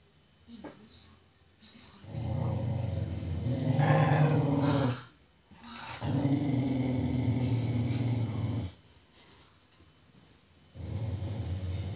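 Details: Deep, sustained growling from a Chihuahua, Margarita, and a cocker spaniel, Brandy, squaring off in a fight; long rumbling stretches of two to three seconds each, separated by short pauses, with a low steady throaty tone throughout.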